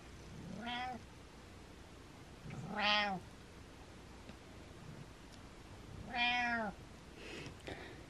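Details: Cat giving three loud, clear meows, each about half a second long with an arching pitch, spaced roughly every two to three seconds in a quiet room.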